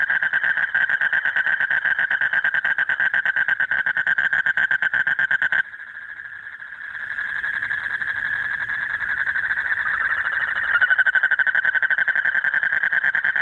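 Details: Late-night breeding-season chorus of a male Asian common toad calling a mate: a fast pulsed trill for over five seconds, then a smoother, blurred continuous trill that rises in loudness and ends in pulses again.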